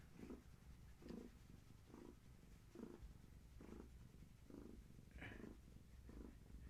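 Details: Long-haired tabby mother cat with her litter of kittens, indoors in the evening, purring while her legs are scratched and massaged; steady low purr swelling in rhythmic breaths about every 0.8 seconds, soft room noise.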